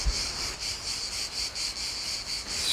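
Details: Cicadas sing a dense, steady buzzing drone, pulsing slightly throughout, on a path above turquoise sea on Levanzo island, Egadi Islands, western Sicily, Italy. Cicada.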